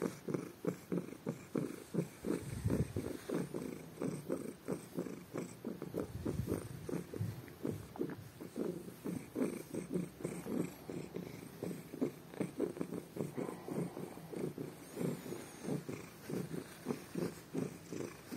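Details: A house cat purrs ever louder with pleasure as his ears are rubbed in the morning; continuous rhythmic rumble of fast inhale-exhale pulses, briefly deepening mid-way, with no other sounds.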